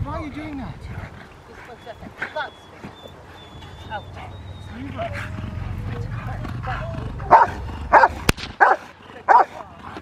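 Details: During schutzhund protection training with a helper, human voices and a few higher yips come first, then a female Rottweiler breaks in with loud, deep, explosive barks repeated at an uneven pace.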